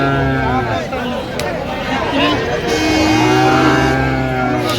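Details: Sahiwal breed bull calf cattle at a market in Kushtia, Bangladesh, lowing with long droning moos carrying steady low harmonics, rising and falling, amid crowd talk and background market noise.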